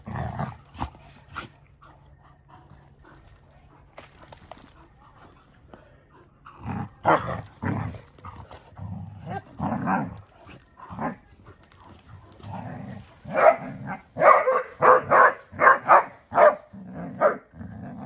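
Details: Basset Hounds barking indoors, several deep, loud barks at irregular intervals after a quieter stretch with clicks and background sounds, becoming a rapid series of bursts in the later half, with music faintly present.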